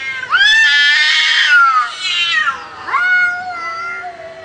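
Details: Cats fighting: loud, drawn-out caterwauling yowls with wavering, rich harmonics. A long rising-then-falling wail is followed by a short dip, then a second yowl that rises sharply and trails off more quietly.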